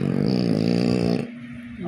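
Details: Snoring French bulldog gives a sustained buzzing rumble with a rattling low texture for over a second, then drops to a soft, quiet breath.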